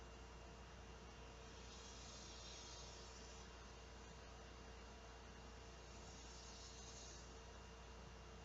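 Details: Large male cicadas calling for females to mate on a hot summer day, 12:10 p.m., August 2, 2016, heard through an open front door: two high hissing buzzes, each swelling for over a second, over a steady low hum.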